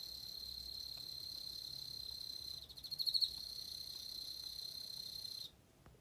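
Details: Emma field cricket trilling: a sustained high, pure tone held steadily for over five seconds, briefly swelling louder near the middle before stopping abruptly, followed by near silence.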